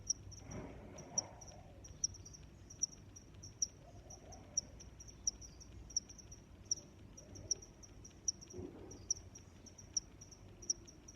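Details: Cricket chirping in a nature setting: short high-pitched chirps repeated regularly, roughly every 0.8 seconds, with fainter trilling chirps between them over a soft low background rumble.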